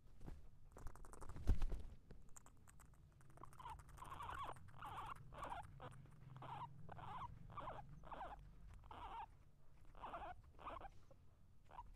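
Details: Guinea pig eating and fighting: a low rumbling undertone, then from about three seconds a run of short, harsh mid-pitched squeaks repeated roughly twice a second, mixed with crisp clicking chewing sounds.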